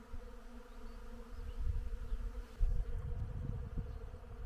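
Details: Many bees busy at blossoming willow in springtime give a continuous low buzzing drone, with rumbling low bursts that swell past the midpoint.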